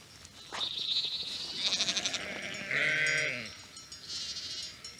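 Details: Flock of white Urmerino sheep in Portugal at dusk, walking on their own toward a farm three kilometres away for water and a little feed during a dry spell; a few quavering bleats, one lower and fuller midway, with thin high chirps around.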